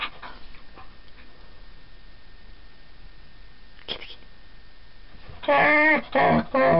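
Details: Collie dog playing with a tabby cat; after a long quiet stretch with faint rustling, three loud, wavering, yodel-like vocal bursts come in quick succession near the end, following a person's voice.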